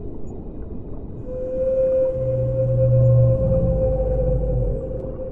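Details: Underwater whale singing, a sustained level tone swelling in loudness, layered with a deep humming moan lower down, against a constant watery rumble.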